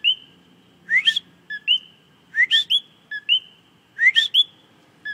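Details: Coqui frog singing in plain view, a loud whistled two-note call repeated about every second and a half: a short note followed by an upward-sweeping second note, with a quiet low background.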